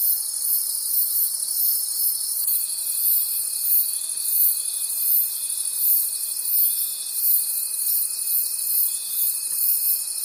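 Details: Night chorus of crickets in a forest: continuous high-pitched trilling that swells and fades in quick regular pulses, joined partway by a thin sustained whine.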